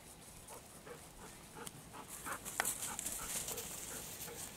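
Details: Golden Retrievers Kohaku and Ibuki, cooled and happy after river play on a hot midday walk, roll in rice-husk ash in a paddy; soft rhythmic panting breaths repeat quickly beneath rustling and scattered scraping noises.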